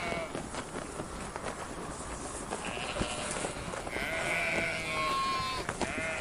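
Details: Sheep in a noisy pen, scattered rough sounds at first, then clearer drawn-out bleats from several animals rising over the din in the second half.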